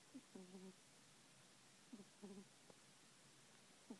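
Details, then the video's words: A sleeping kitten named Prince Von Tass snores, each breath a brief low squeak followed by a longer buzzy, harmonic drone, in two or three soft bursts against quiet room hush. "Snoring baby cat"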